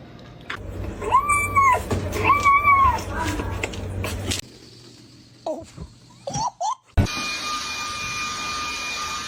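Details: Kitten meowing in a funny pets compilation: two drawn-out, arching meows close together, each rising then falling, over a low steady hum, followed by an abrupt cut to scattered clicks and rustles and a steady electronic whine.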